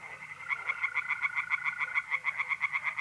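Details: Tree frogs calling from a pond by night in April, North-East Italy: quick pulsed croaks, roughly six per second, over a continuous mole cricket trill.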